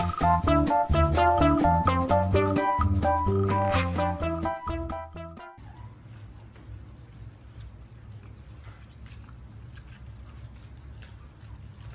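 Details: Bright upbeat music with plucked melodic notes that cuts off partway, leaving only quiet background rumble and no animal voice.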